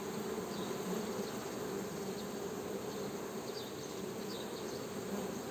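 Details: Honey bees make a constant deep hum with layered overtones. The drone never pauses, and a few faint high calls appear now and then behind it.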